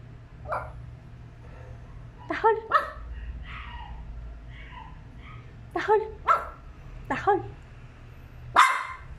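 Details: Yorkshire Terrier barking: sharp, high yips come singly and in quick pairs, about eight in all, with a person speaking softly between bursts.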